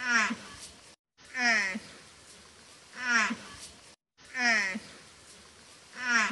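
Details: Water buffalo mother's calls for her calf: four short, strained, harmonic moans at a steady pace, roughly one every 1.5 seconds, each ending in a slight rising flick, with faint hiss between.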